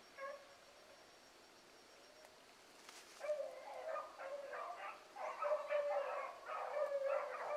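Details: Hound pups, among them Ringo, Mingo and Choco, running a rabbit in the morning: a lone faint bay, a pause, then several voices joining in overlapping, drawn-out bays that build to a steady chorus.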